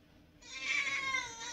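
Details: Indoor house cat, hungry after its owners were out a long time, gives one long, strained, high meow that swells and holds for about a second, while two cats are fed and squabble.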